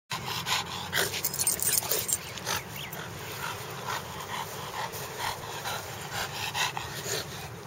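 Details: A bulldog destroying a soccer ball: quick, breathy panting and snorting bursts about twice a second, rough and irregular, with scuffling noise throughout.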